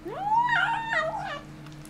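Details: Indoors, a kitten with a bone lets out a strange, drawn-out yowl that sweeps upward, then wobbles and breaks into a rough, warbling second part before trailing off, with a faint background hum.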